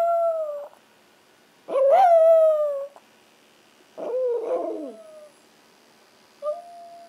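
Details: Ace and Oscar, two Chihuahuas, howl at home. Ace howls whenever he can't find his mom. A few drawn-out tones are heard, one wavering and falling, with silent gaps and a faint short yip near the end.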